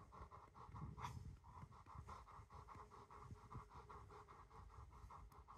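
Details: Rottweiler named Macho panting steadily while being hugged and cuddled; fast rhythmic breathy pants, about three per second, with soft rustling nearby.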